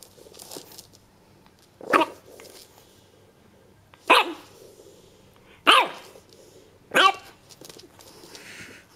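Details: A French Bulldog puppy on its first day gives short, sharp yapping barks, spaced a second or two apart.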